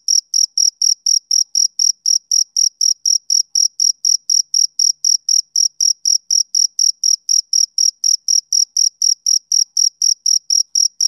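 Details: Rhythmic summer-evening chirping of a male cricket: bright, piercing short pulses repeated at a constant quick tempo, near four each second, with silence between and no other sounds.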